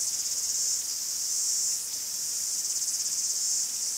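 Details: Chorus of cicadas in woodland in Greece, piercing high buzzing rising and falling in pulsing surges, louder phases alternating with slightly softer ones.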